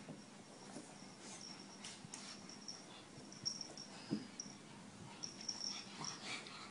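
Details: Pug in a funny compilation, heard as a run of raspy, wheezy snuffling breaths with short noisy bursts and a faint thin high whine drifting through.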